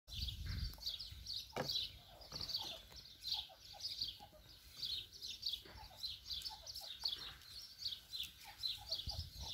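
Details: A meerkat family at Jaderpark zoo at breakfast on 31 March 2020, feeding by strict rank order, gives a steady stream of high, short chirps, with occasional lower squeaks mixed in.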